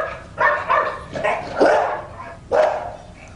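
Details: Domestic dog barking again during a test of whether dogs hear differences between other dogs' barks, prompting a listening dog to run to a wall; five sharp barks in quick, slightly irregular succession.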